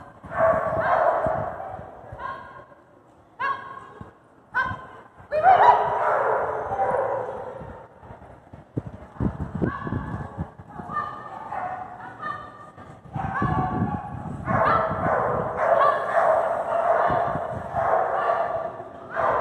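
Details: Border Collie Sparky running an AKC Master Jumpers agility course, Wichita Falls, Texas, November 2021, first-place run; short barks repeat roughly twice a second in irregular volleys, mixed with low thuds and background crowd sounds.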